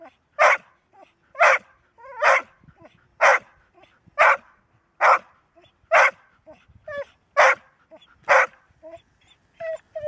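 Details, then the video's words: Golden Retriever barking steadily, a dog that rarely barks but then keeps going: a long run of strong barks about once a second, with small whines and yips in between. ""Bellen", Golden Retriever"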